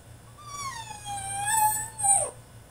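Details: Caged French Bulldog in a tantrum lets out one drawn-out whine, starting high, sagging slightly and holding steady before swelling louder and ending in a sharp rising-then-falling yelp, low hum beneath.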